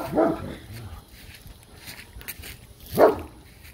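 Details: Dog barking: two short, sharp single barks about three seconds apart, with a quiet outdoor background in between.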